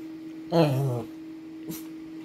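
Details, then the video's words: Two-year-old Shih Tzu Bubbles demanding attention indoors: one drawn-out, wavering whine lasting about half a second, followed by a brief click, over a constant low hum. "Shih Tzu dog Bubbles demands your Attention please!"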